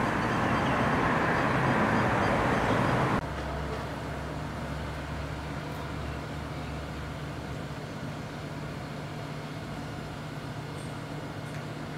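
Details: Steady vehicle engine rumble with a low hum and no animal voices. A louder burst of traffic noise opens the passage before settling into a constant drone.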